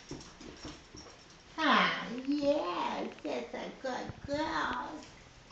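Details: A female Basenji greets her owner's mother, whom she loves, with excited warbling, yodel-like whines that rise and fall in pitch, while a woman talks over and between the calls.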